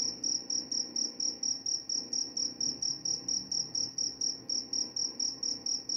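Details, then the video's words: Crickets offered as a sleep sound said to repel mice: a high, pure chirp pulsing steadily, about three short bursts each second, with a faint low hum beneath. "Suara jangkrik pengantar tidur dan juga mengusir tikus."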